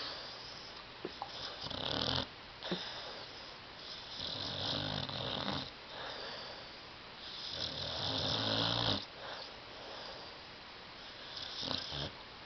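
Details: Tyson, a sleeping dog stretched out on a love seat, gives loud, throaty snores with a rattling, buzzy tone, several drawn-out breaths of uneven length and a few small clicks between them indoors.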